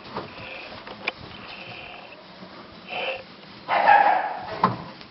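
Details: Cane Corso puppies of litter A2 at Corso Di Munteanu Kennel: a brief high whine near the third second, then a louder, drawn-out squealing yelp, with soft clicks and a steady background hiss.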